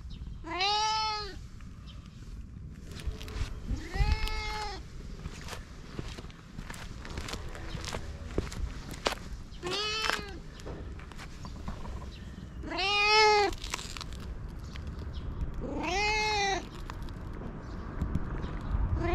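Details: Fluffy cat giving five drawn-out meows at irregular intervals, each one arching up and down, with scattered clicks and a low rumbling background.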